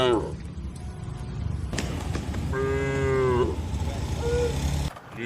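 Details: In the countryside, cattle on their way to a wide field let out one mid-length, fairly high, tonal moo in a noisy, rumbling background, followed by a short faint tonal note.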